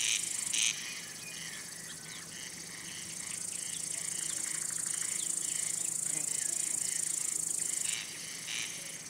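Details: Male crickets stridulating with their elytra to attract or court females or repel rivals; a sustained shrill, high trill with soft twittering chirps of other callers scattered through it.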